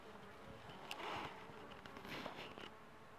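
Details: Wild honey bees at a hive in a Grey Box tree trunk at Matong, giving a soft, steady, broad buzzing hum with passing louder swells as individual bees fly close.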